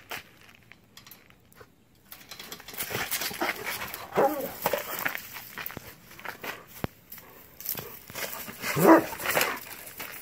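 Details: A German Shepherd dog just sprayed by a skunk, vocalizing in short broken whines and yelps spread irregularly across the clip, the loudest burst near the end, over rustling and handling noise.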